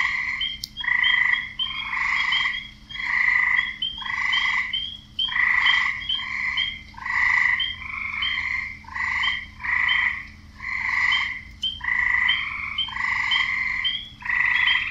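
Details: Male frogs croaking to draw in females: a steady run of rasping, pulsed croaks, roughly one a second, each about half a second long, overlapping callers, a faint high chirp riding on each, over a low steady hum.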